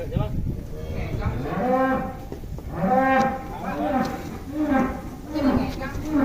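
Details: Giant fat cow giving a series of short, low, arching moos roughly once a second, each rising then falling, over a constant background hum.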